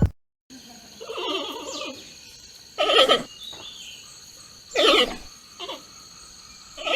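A giant panda gives short, wavering, goat-like bleats, spaced a second or two apart.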